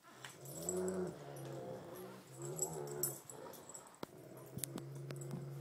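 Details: Growls from a Great Pyrenees and a Tibetan Mastiff during a tug-of-war match. Low, throaty growls run in long stretches, with sharp knocks and clatter toward the end.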